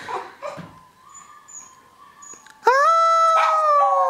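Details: Pet puppy howling on command indoors: faint murmuring and soft noises first, then a loud, steady, tonal howl with rich harmonics starts abruptly and holds level for about one and a half seconds, dipping slightly at the end.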